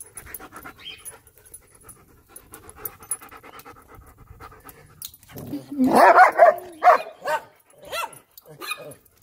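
A German Shepherd whines in short repeated bursts, then gives a few loud, harsh barks over human speech.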